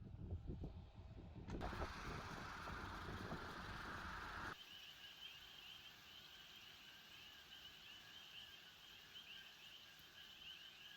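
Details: On the Big Island of Hawaii, near Keaau, while driving back to the lodging, a chorus of coqui frogs gives shrill, repeated two-note chirps after a burst of loud rumbling noise.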